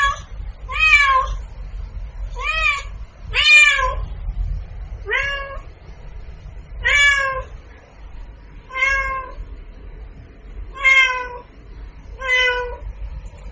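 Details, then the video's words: Cat meowing insistently, eight short arched meows at irregular intervals of one to two seconds, clear harmonics, steady low background hum. "Cat sound Effects"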